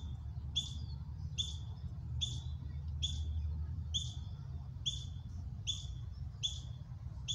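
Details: Young ground squirrels rehearsing alarm calls during a drill, a mother freezing nearby; clipped high-pitched chirps repeated at a brisk, fairly even pace against steady low-frequency noise.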